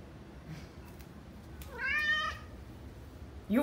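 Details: Pet cat giving a single drawn-out, slightly falling meow indoors while its owner refuses it a reward, with another meow starting at the very end.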